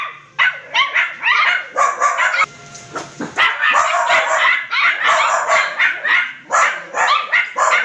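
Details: Crossbreed poodle puppies make dense, overlapping high yips and barks, rapid and continuous with short gaps, several small voices at once.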